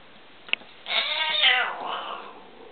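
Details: Indoor encounter between a male tabby kitten and his older adopted Siamese sister as he goes after her; a single drawn-out harmonic yowl of about a second follows a sharp click.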